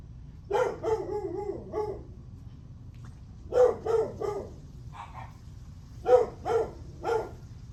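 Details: Morning barking from a dog on July 9, 8:38 am: clusters of two or three loud, clipped barks, with a softer pair between them, repeating every couple of seconds over low background rumble.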